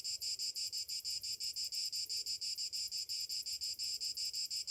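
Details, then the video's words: Summer morning cicadas: a continuous high, sizzling buzz throbbing in even pulses, roughly five per second, over a quiet background. "Morning summer cicadas sounds"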